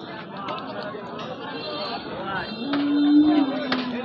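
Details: Cattle at the Karimganj cattle market in Kishoreganj, Bangladesh: a steady low moo rises out of the busy market din late in the clip, over constant crowd chatter and voices.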